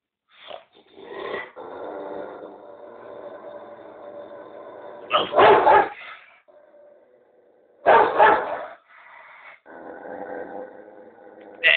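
An angry Rottweiler growls steadily, breaking into sharp, loud barks.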